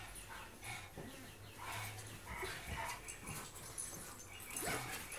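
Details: A husky, a wolf hybrid and a pug playing together: a busy stream of short whines, yelps and growly bursts overlapping one another, with scuffling and rustling noise throughout and a louder cry near the end.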